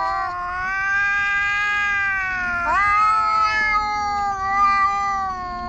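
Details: Loud quarrel between two black stray park cats: a continuous, sustained moaning yowl with a sudden upward lurch midway, then a slowly sagging, strained tone carrying on to the end.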